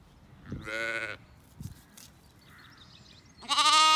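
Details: Sheep at sunrise on a regenerative Irish farm in County Kilkenny, lambs exploring while their mothers feed; a clear bleat, a quiet gap with small thuds, then a louder, harsher bleat closing the recording.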